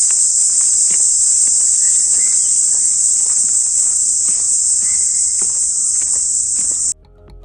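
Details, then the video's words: Cicada droning in the forest at Abhayaranyam, Kaprikkadu, Ernakulam, Kerala, heard while walking through the woods: a steady, high, unbroken shrill hum that stops abruptly near the end, with faint small-bird chirps beneath. "ചെറിയ ചെറിയ പക്ഷികൾ ഇങ്ങനെ ചിലക്കുന്ന ശബ്ദം കേൾക്കാം പിന്നെ ഈ ചീവീട് എന്ന് പറയുന്ന സംഭവം ഉണ്ടല്ലോ അതിന്റെ ഒരു ശബ്ദം കേൾക്കാൻ ഭയങ്കര രസമാണ്"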